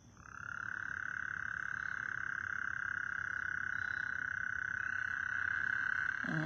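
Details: A loud night frog chorus in northwest Harris County, Texas, forming one unbroken, high, buzzing trill that swells in at the start and holds steady, with faint low rumble and a brief voice at the end.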